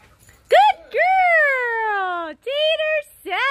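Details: Mastiff Daisy, keen to catch the frisbee during a dog play session, lets out a long, slowly falling harmonic whine, then shorter level whines after a brief pause, loud and close.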